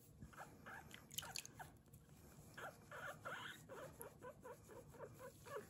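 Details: Guinea pig named Kurumi squeaking while being washed during her bath, recorded indoors without background music; short, bright, repeated squeaks come in a quick series of about two per second, with faint splashing and rubbing noise.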